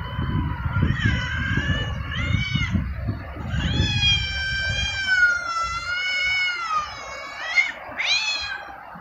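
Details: Cats mating: long, wavering, harmonic yowls rising and falling in drawn-out wails as the female gets mad, then the male chases her off.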